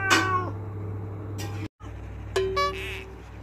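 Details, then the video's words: Moesa the pet cat demanding that a door be opened: two short, sharp meows, one at the start and one near the end, separated by a brief silent cut, with a low hum throughout. "KUCING LUCU😻 marah marah minta di bukakan pintu"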